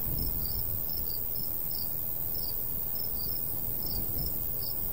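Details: High, clipped cricket chirps in short clusters, a few per second, from a summer countryside wheat field, with light breeze producing a steady deep hiss and rumble.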